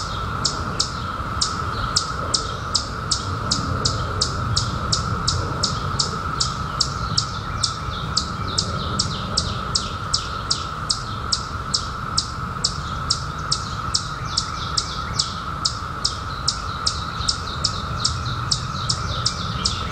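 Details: Long unbroken hum of a periodical cicada chorus during the 2021 emergence after 17 years, steady in pitch and loudness, while rapid high bird chirps, each dropping in pitch, patter over it almost continuously.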